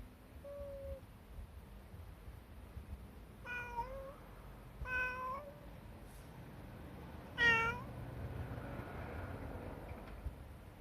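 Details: A friendly tabby cat hides beneath a car and will not budge, meowing repeatedly. Four fairly soft meows come a few seconds apart, the last louder and sharper, against a steady low hum.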